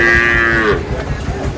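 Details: Sahiwal bull calf at a cattle market, with a Noakhali farmer buying Sahiwal bull calves, dated 27/7/26. A single steady, drawn-out moo lasts about two-thirds of a second, then fades into market chatter and haggling voices.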